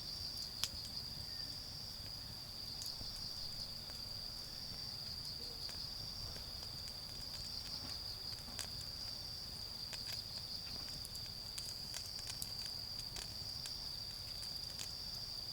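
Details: Autumn insects sing a constant shrill, even-pitched trill from a garden where a bonfire smoulders toward charcoal; occasional fire pops and clicks cut through, over a quiet low hum.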